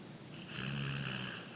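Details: Sleeping six-year-old rescued American Pit Bull Terrier named Abbie gives one drawn-out snore, a breathy rasp swelling into a low humming buzz that holds steady before easing off.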